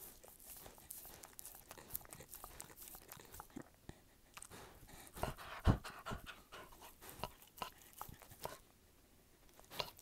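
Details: A pet dog chewing indoors in an ASMR-style recording: steady irregular crunching and clicking with soft panting in between, one louder sharp crunch near the middle, then quieter chewing toward the end.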